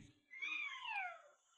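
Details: Pet cat Batiao, out at a shopping mall meeting fans and begging to be petted, gives a single drawn-out meow that rises then slides downward, with a faint room echo.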